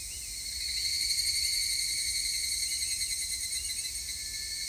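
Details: Evening cicadas (Tanna japonensis), recorded 3 August 2021, sing a high, shimmering, continuous ringing drone with a fast, steady pulse.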